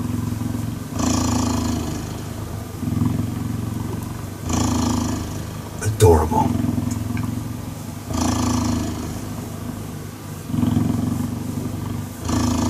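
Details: Cheetah purring while cuddling: a low, rumbling purr in alternating phases of roughly one to two seconds as the cat breathes in and out, broken once midway by a sharp knock.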